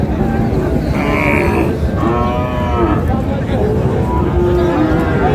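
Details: Skinny milk cows at the Raniganj haat, Dinajpur, during bargaining on a Thursday market day. Moos come in overlapping bursts, one brief and higher, others longer and wavering, amid steady market chatter and men haggling over prices.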